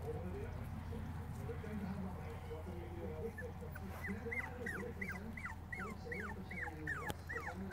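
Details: Cavalier King Charles Spaniel puppies, five weeks old, from a black litter, with a low hum and murmuring voices, then a run of thin rising-and-falling whines repeated about twice a second in the second half.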